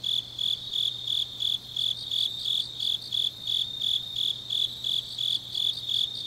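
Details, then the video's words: Grass insects calling on an autumn night in Changnyeong, South Gyeongsang, South Korea: loud, high, metallic chirps repeated at an even pace, roughly two or three each second, over a continuous trilling background and a soft low hum. "깊은밤 가을 풀벌레 소리"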